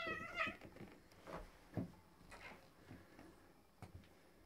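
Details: Two male cats, black-and-white Tom and a neighbour's tom, in a territorial fight: one harmonic, wavering yowl opens, followed by fainter muffled cries and thumps.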